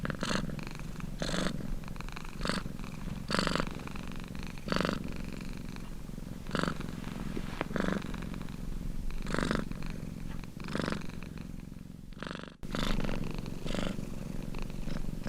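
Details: Domestic cat purring steadily indoors, a low rumbling drone pulsing in regular breath cycles about every one to one and a half seconds, each inhale and exhale swelling briefly louder with a soft breathy hiss; a short break near the end.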